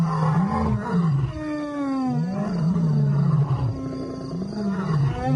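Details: Lion in a wildlife documentary: deep, rumbling growls that waver and swell continuously, with a faint higher tonal sweep partway through.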